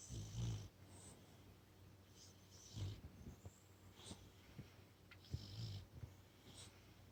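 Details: Sleeping brindle Boxer puppy after a long walk and dinner gives soft, low snores about every two to three seconds, with faint breathy hiss between them.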